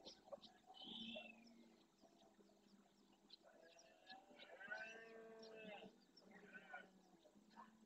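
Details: Red deer rut at sunrise, Doñana National Park, Andalusia: the herd's breeding male roars forcefully, a drawn-out harmonic groan lasting over two seconds, asserting his harem and territory; birds call faintly in the background.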